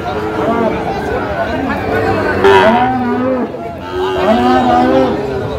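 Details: Sahiwal bull calf at a busy cattle market in Kushtia, Bangladesh, where a farmer is buying: drawn-out, harmonic lowing moos rising and falling over steady crowd chatter and nearby human voices.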